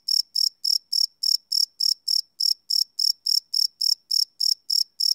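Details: Night-time cricket chirps captured live on a Sony PCM D100 field recorder, no loops: a rapid train of bright, high chirps at roughly three per second, fairly regular, against a silent background.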